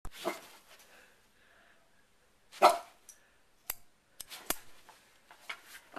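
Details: Sherlock the dog barks at a hair clip being opened and closed: one bark, then after a quiet pause a louder harsh bark, followed by sharp snapping clicks and a few softer yaps.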